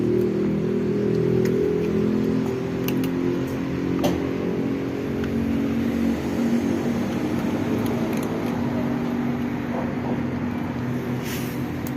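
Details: A steady low engine or motor drone fills the recording, with no animal voice standing out. A few faint clicks and knocks occur, but no hiss or meow is clear.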